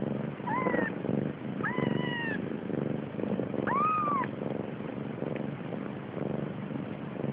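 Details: Hungry Siamese kittens born 30 October 2011, crowded together nursing: three thin high mews, some rising then falling, within the first four seconds, over a steady rhythmic pulsing purr and suckling noise.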